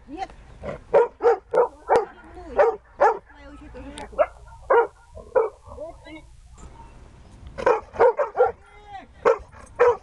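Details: Siberian Husky Dexter during search and rescue training, giving sharp, repeated barks in quick bursts, with a quieter pause in the middle before a final run of rapid barks.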